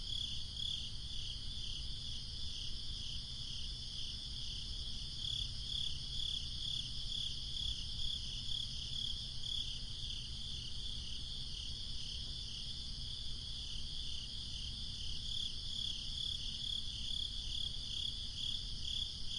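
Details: Crickets on a breezy summer night, chirping in a high, steady pulsing trill of about two beats per second, falling quiet midway before resuming, over a constant low rumble of wind.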